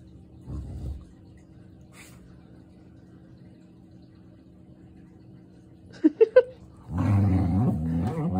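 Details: Border collie and German shepherd fighting each other for dominance: a few short sharp yelps, then a sustained low, rough, harmonic growl over the last second and a half, with quiet room noise before it.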